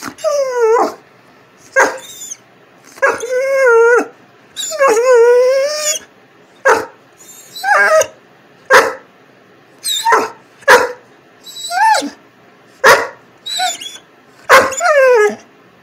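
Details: A female Vizsla gives a string of yowling, whiny barks on the "speak" command, each bending up and down in pitch.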